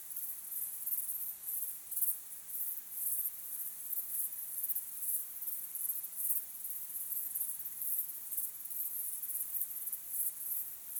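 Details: At sunset, a dense chorus of crickets fills the evening air with high-pitched, thin, shimmering chirps in a fast, even rhythm that runs unbroken, with no other clear sounds beneath it.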